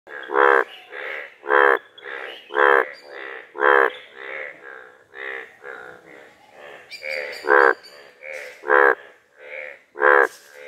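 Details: On a village pond, a frog croaks in loud, rasping bursts about once a second, with softer answering croaks between.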